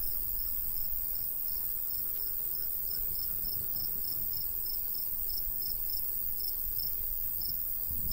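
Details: Crickets in summer countryside by a golden wheat field, a light breeze blowing: high, thin chirps repeat steadily a few times per second throughout, over a low rumble of wind and a faint steady hum.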